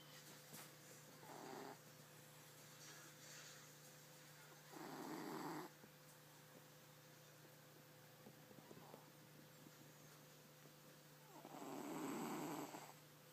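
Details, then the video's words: Tizoc, a snoring pet cat, heard indoors: two long, loud breathy snores around five and twelve seconds, with a few fainter, shorter breaths between them, over a steady low electrical hum. "Gato Roncando"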